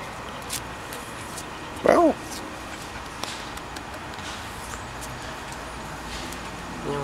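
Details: Brownie, a dog, calls out for her friend Lola at the house down the street: one short, loud, yelping call with a bent pitch, then quiet outdoor background with faint distant sounds.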